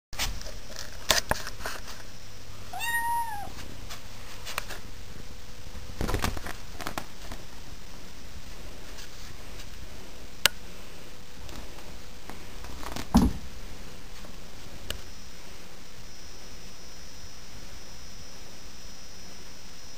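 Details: Merlin, a very active nine-week-old kitten, gives one short falling meow near the start, then a few thumps, clicks and handling knocks over a steady background hiss.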